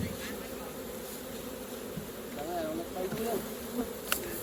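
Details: Honey bees at an opened hive during raw honey collecting: a steady, droning hum of many wings, with brief wavering tones in the middle and a sharp click near the end.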